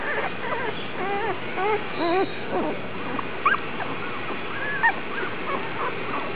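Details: Vizsla puppies from the Alphabet Soup litter, recorded Aug 1, whimpering and squealing: many short, high, wavering whines that rise and fall, overlapping from several pups, over a steady low background hiss.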